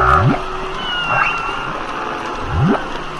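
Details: Humpback whale singing, with a short nasal cry at the start, then rising low whoops about every two and a half seconds, interleaved with a high thin whistle and wavering tonal moans.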